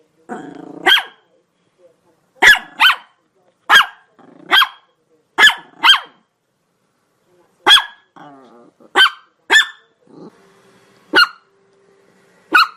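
A Chihuahua gives sharp, high-pitched yaps, often in quick pairs, with short pauses between bursts.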